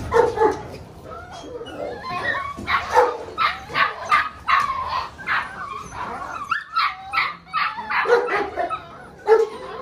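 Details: Six-week-old Malinois puppies of the Lorockmor Mensa X Pixel litter barking and yipping in a busy chorus, sharp high barks repeated about twice a second in stretches, with whines and a possible voice underneath.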